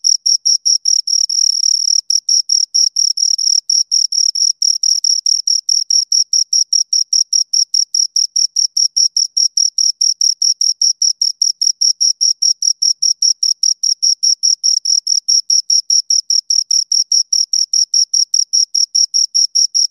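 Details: Two crickets give a continuous run of shrill, high chirps, briefly smearing into a steady buzz early on, then settling into a fast, regular pulse of about four to five chirps each second.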